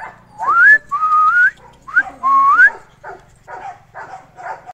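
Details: Two heavy-bone Labrador Retriever puppies playing with a child: a run of high, drawn-out tonal whines sliding upward, several rising squeals in a row, then softer broken whimpers trailing off.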